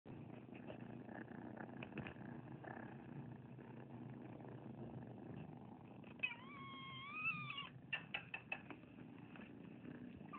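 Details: Abandoned foster kittens, a large group dumped on a property in Anza and taken in for rescue, with a low purring rumble throughout and one drawn-out harmonic meow near the middle, followed by short clicks and scratching.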